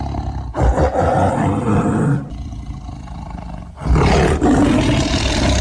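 A tiger roars in deep, rough bursts, each swelling loud and then fading.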